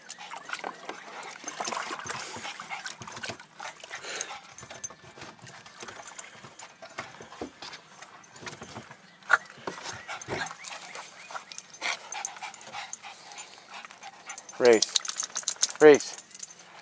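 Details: Female miniature dachshund on her first time in a pool, biting at the water; long stretch of splashing and water noise, then two sharp, loud, harmonic yelps close together near the end.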